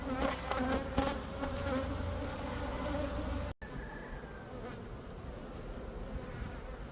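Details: Dense hum of honeybee drones leaving to mate and find queens in Florida, a loud swarm buzz with passing bee whines, briefly cut and resuming slightly quieter.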